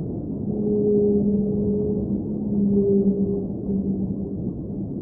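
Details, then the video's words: Whale song recorded underwater: long, steady tonal moans held for about two seconds, a low tone and a higher tone overlapping and repeating, over a constant muffled rumble of underwater noise. "Underwater Whale Sounds - Ambient Soundscape | Whale Singing"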